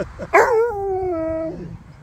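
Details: Husky, woken while being groomed and play-fighting, gives a sudden loud yelp that slides into a long, steady, slightly falling howl, rich in harmonics and lasting over a second before fading.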